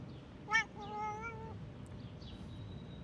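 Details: Stray cat that ran up to a passer-by in a park, acting dog-like: a short harmonic chirp, then one drawn-out, steady, tonal meow about a second long. Faint rustling and distant background noise.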